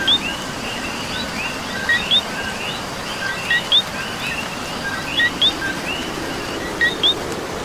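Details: Coqui from Puerto Rico calling amid rain: five loud two-note co-qui phrases at intervals near 1.7 seconds, a low clipped note leading into a bright rising whistle, set against a wash of rain and a distant frog chorus.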